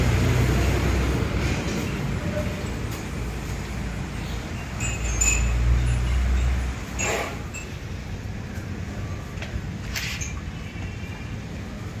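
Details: Steady low rumble of a moving vehicle with faint metallic chiming and a brief voice; no animal call stands out.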